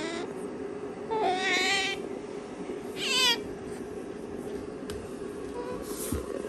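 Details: Female pet otter kept indoors, worried because her owner is absent: two wavering, harmonic whining calls, the second louder and falling in pitch, over a steady background hum, with a woman repeatedly calling to her.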